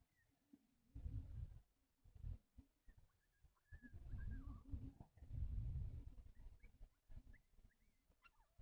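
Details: Chihuahua puppy Ash, blue tan and white, newly arrived indoors and diagnosed with kennel cough, gives low hoarse hacking bursts in several runs with pauses between, faint high chirping in the background.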